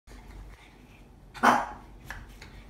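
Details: A dog from a Shih Tzu and Dachshund pairing gives one sharp, loud bark midway, followed by a couple of faint clicks and quiet room noise.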